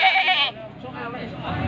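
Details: A short, harsh bleat from a male Etawa goat at Pasar Wage market, Panggul, Trenggalek, Indonesia, 18 May 2020, before Qurban; it breaks off after half a second into quieter crowd noise.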